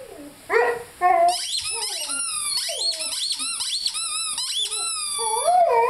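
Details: Young Rhodesian Ridgeback Lyle, five months old, gives wavering, sliding howl notes mixed into a rapid stream of high, arching squeaks from his squeaky chicken toy.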